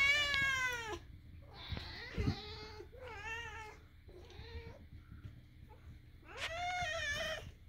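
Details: Domestic cat named Moo making his weird sounds while another cat, Daisy, accepts them; a series of harmonic meows, some long and wavering, others short and trilled, with quiet pauses and a steady low hum between.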